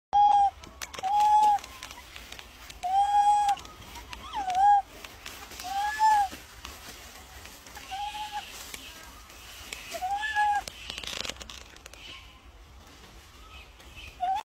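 A monkey calls in clean, tonal notes that rise and fall in a short arch. The calls come in a steady series roughly every one and a half to two seconds, with faint background noise between them.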